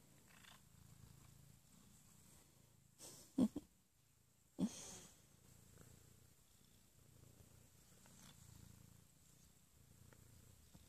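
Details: An Abyssinian cat snuggling in the morning purrs softly and steadily, a low rhythmic rumble broken by two brief bumps.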